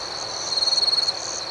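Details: A single cricket at night gives one clear pulsed chirp of about a dozen rapid high-pitched beats, lasting just over half a second, above a steady shrill chorus of more distant insects.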